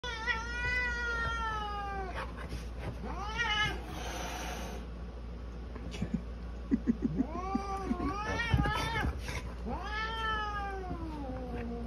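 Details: Orange polydactyl cat, female, in a dramatic battle with a golden retriever: long, drawn-out wavering yowls that slide up and down, several in a row with short pauses, and sharp bursts of scuffling in between.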